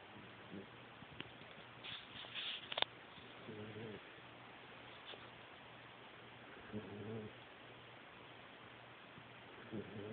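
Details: A Great Dane puppy about 10 weeks old snores in soft, buzzy, low rattling breaths returning every few seconds, with a few faint clicks and rustles early on over a steady background hiss.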